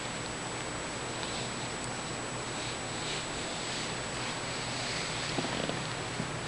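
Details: Six-year-old female Siamese cat with blue eyes, indoors during play, filmed just before an operation for a health condition; a steady, continuous low purring rumble runs through the whole stretch under a faint even hiss.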